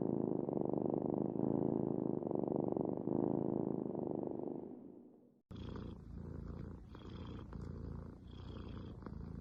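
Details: Domestic cat purring with a dense, buzzy rumble that slowly fades out, then a sharp cut to another cat's quieter purr with soft wheezy breaths in a regular rhythm.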